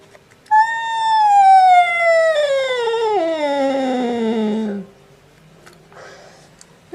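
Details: A cat's odd sound: one long, howling wail, clear and tonal, starting high and gliding steadily downward over about four seconds before cutting off, then near silence with a couple of faint clatters.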